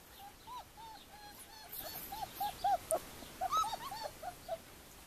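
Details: Callie's very young puppies, 4 weeks old, give a string of thin, high-pitched whimpers, each a brief rising-and-falling squeal, several pups calling at once in an uneven, rapid, overlapping chorus.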